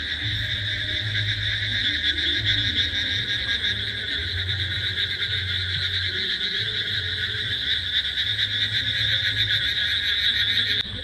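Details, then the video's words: Many frogs at a resort cafe in Taki, 15 July, calling deafeningly loud while hopping through the grass: a steady shrill buzzing chorus fills the air, overlaid by low throbbing croaks in irregular bursts. "আর বাই দ্য ওয়ে ব্যাঙ ডাকছে, দেখো আমি তোমাদের একটুখানি শোনালামও, এত জোরে জোরে ব্যাঙ ডাকছে, মানে কানে তালা ধরিয়ে দিচ্ছে।"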